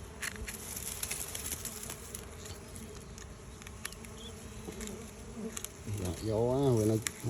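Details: Bees in flight, deserting the old hive for a new hive, give a constant droning buzz. A human voice breaks in near the end.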